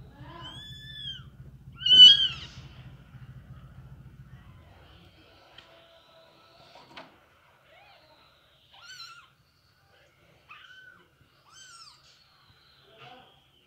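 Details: Mother cat moving her kittens, domestic cats: a clear meow with a loud burst near the start over a low buzzing hum, then scattered short, soft arched mews spaced through a quiet room.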